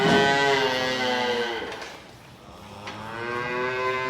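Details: Calves in calf sheds at bucket feeding time give long, nasal moos that rise and fall, with a second bawl after a brief pause; cow.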